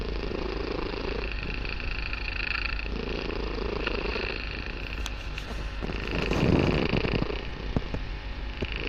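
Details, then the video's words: Kitten Barsik purring loudly during a relaxation session at home; rhythmic low rumble rising and falling with breathing, growing louder near the end with some light crackles. "Мурлыканье котенка.Барсик очень громко мурлыкает"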